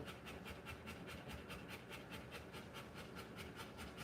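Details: Rottweiler in labour, giving birth to puppies, panting indoors: soft, breathy, even pulses of breath at a quick pace of about two to three per second, steady throughout, with no voices or other sounds.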